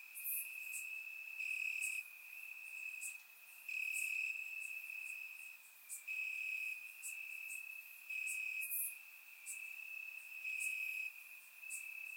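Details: Summer-night crickets chirping in grass, recorded in Bulgaria with a surround microphone; a sustained high-pitched trill continues while loud rasping chirps pulse in irregular groups every one to two seconds.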